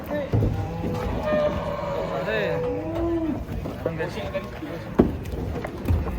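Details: Cattle being unloaded from a truck give a drawn-out, low moo with bending, wavering tones in the middle of the recording, set against a busy background of voices and clatter, with a sharp knock near the end.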